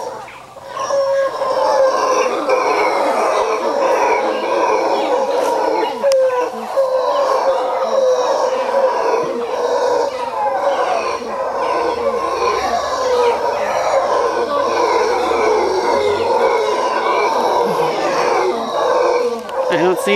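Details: Troop of howler monkeys at Quepos, Costa Rica, looking down and howling toward people, likely answering another troop nearby over territory; a long, continuous, eerie roaring drone swells and persists for twenty seconds with faint human voices.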